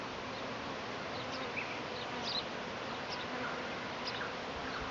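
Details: A honey bee swarm in Tasmania, arriving a week early as it does every year, near bushes by a house; a dense steady hum fills the clip with scattered faint chirps of birds above it.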